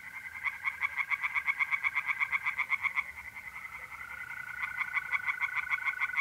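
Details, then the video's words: Tree frogs at a pond by night in mid-April, north-east Italy, calling in quick rhythmic pulses about four per second, with a continuous high-pitched mole cricket trill underneath. "relaxing singing tree frogs in pond and trilling mole crickets by night"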